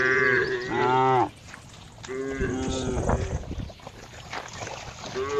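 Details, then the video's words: Cow lowing with a bright harmonic moo in the opening second, then rough, noisy background sound, and a short moo returning at the end. "cow funny sound"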